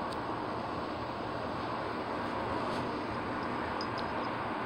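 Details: Loud continuous roaring noise like a vehicle or train passing, with no animal voice heard.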